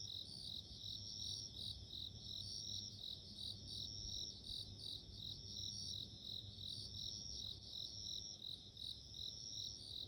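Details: Bell cricket chirping: high, bright ringing pulses in rapid short bursts over a steady thin high whine, with a soft low hum throughout.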